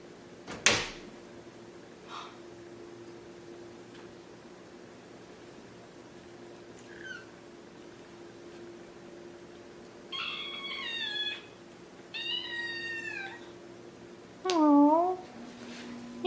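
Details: Maine Coon kittens Delilah and Daisy playing together: after scattered knocks and a sharp bang, three clear meows come in turn, the first two long and wavering, the last a short downward-bending squeak, against a steady low hum.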